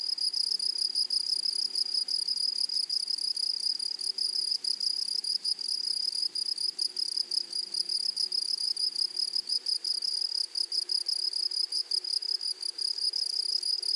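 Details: Grasshoppers in a flowered meadow give a continuous, metallic, very high buzz with a fainter higher ring above it, pulsing quickly and steadily across the whole recording.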